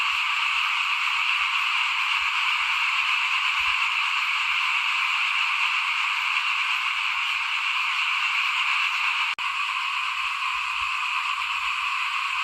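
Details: Frogs at rice sowing time in 2021, calling in front of a house; their massed trilling drones on without a break, interrupted once by a sharp click, with faint rustling below.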